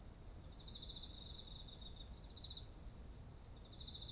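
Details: Autumn insects calling beside ripe, heavy-eared rice fields, recorded on a ZOOM H1essential: a steady high shrill tone runs throughout, joined by a rapid pulsed chirping trill, over soft low background rumble.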